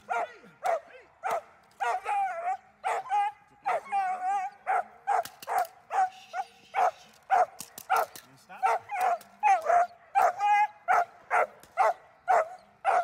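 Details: German Shepherd Dornan in protection training, barking loudly and steadily, roughly two barks a second, mixed with whiny, wavering yelps between the barks.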